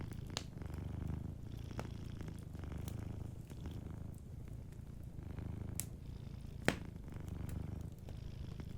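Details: Soft purr of a sleeping cat, a continuous rumbling hum rising and falling every second or two, accompanied by occasional loud pops from a crackling fireplace.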